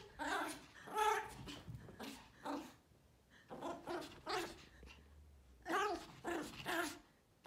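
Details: A group of Pomeranian puppies with a female Pomeranian barking: bursts of high, harsh yaps, some in quick doubles, separated by brief pauses and a short silence near the middle.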